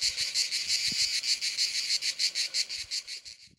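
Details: Cicada; song; males singing to attract females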